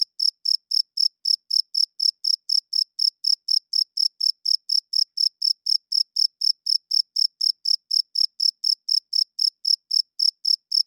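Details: Loud nocturnal chirping of a cricket, a male's call to attract females and establish territory. The shrill, clear pulses come in a fast, regular train of about three and a half per second, with a clean, quiet background.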